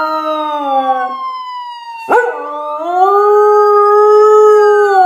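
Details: Dog named Misha howling in response to a police siren; after a brief sharp noise, a sustained tone rises and holds steady, blending with the siren's long, gliding wail.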